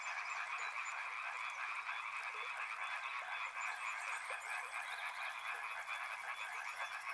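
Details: River frogs in full chorus, layered croaking trills at an even loudness, joined after about three and a half seconds by a sharp, fast high pulsing buzz that continues to the end.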